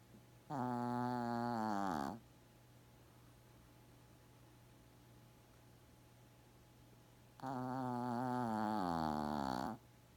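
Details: Shih Tzu dog named Gaku, fast asleep indoors, snoring heavily like an old man. Two long harmonic, rattling snores about six seconds apart, the second one longer with a falling end, with quiet breathing in between.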